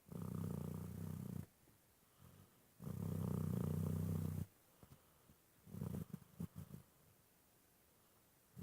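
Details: Dog snoring with a sound likened to purring: deep, rumbling, low-pitched breaths lasting one to two seconds, three in a row with a quieter fluttering one at the end, over faint background hiss.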